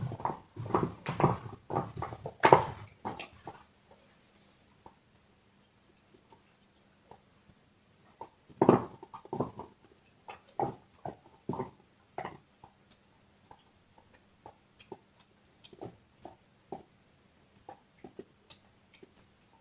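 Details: Bone being gnawed by a dog in a small indoor room: a dense run of crunching bites for about three seconds, a pause, then a second spell of irregular cracks and scraping chews fading to sparse ticks.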